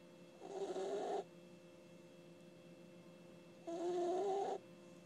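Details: Puppy snoring while asleep, two breathy snores with a wavering whistle-like tone, each under a second long, separated by about two and a half seconds of quiet with a faint constant hum.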